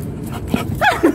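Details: Puccino, a five-month-old lion-type Chow Chow puppy kept as a pet, gives short, clipped barks that bend up then down in pitch, two or three quick vocal bursts packed into the final half second after quieter rustling.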